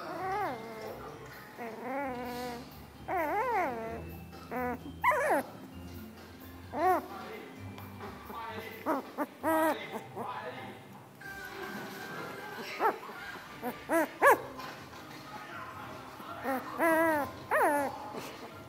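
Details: Puppies making noises: wavering, high-pitched whines and squeaky whimpers, some short and some drawn out with quivering pitch, over a faint steady background hum.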